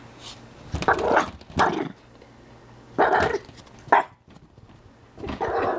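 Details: Chihuahua facing a tegu, barking in short irregular bursts, some doubled, with brief pauses between, followed by a woman's voice asking what he is doing.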